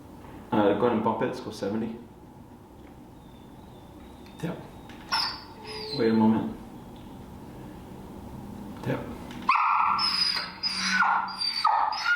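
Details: Finnegan, a very vocal feral dog in a Chicago training class working on the place command and an e-collar introduction, gives high, strained whines and short yelps in bursts, with a person talking between them.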